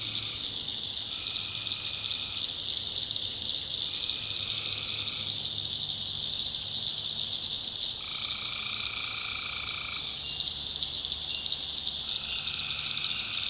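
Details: Tree frogs calling at night in North Carolina backwoods swamp: continuous shrill chorus with lower two-tone buzzy trills switching on and off in bursts of one to two seconds, separated by short pauses.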